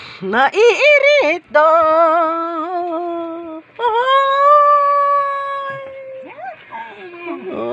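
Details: Dog 'talking' in long, tonal, howl-like phrases: a quick rising-falling yelp series, then steady sustained moans and a long wavering note that slides down. Background music plays throughout.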